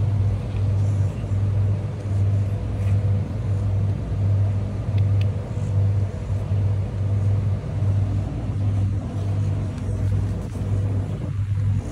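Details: A car engine idles with a steady low rumble, and faint speech is heard in the background on a street.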